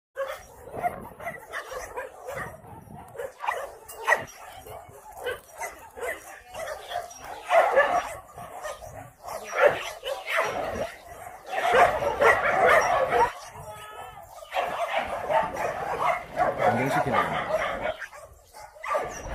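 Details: Shelter dogs barking repeatedly during a volunteer visit to an abandoned-dog shelter in Yangsan, many dogs calling over one another in irregular bursts, with background music and talking.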